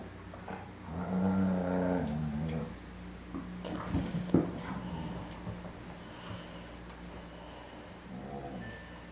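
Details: Twelve-week-old Airedale Terrier puppy Punch plays tug with four-year-old Lola indoors; a rough, rumbling growl swells for about two seconds, followed by scattered snorts, thumps and softer grumbling growls against a steady low hum.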